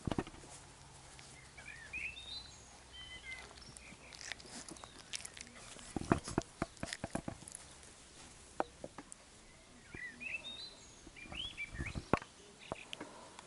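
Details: Labrador Retriever puppies from an A litter tussling and playing; repeated short high-pitched squeaks and yips in scattered clusters, mixed with sharp clicks, scratches and knocks from the scuffle.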